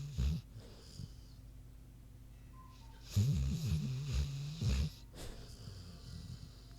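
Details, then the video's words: Queenie the pig asleep, short low grunting snores and snorts in uneven bursts, with a long quiet gap early on and rattling breaths toward the end. "Big Pig Snoozin' (HD Queenie Snoring Audio)"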